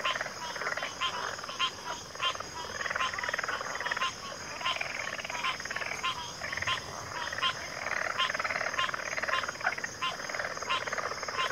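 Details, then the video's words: Dense backwater chorus of frogs, rapid pulsed croaks overlapping continuously, with regular louder clicking notes roughly every second and a steady high-pitched whine in the background. "Backwater Chorus, & Frog Chorus"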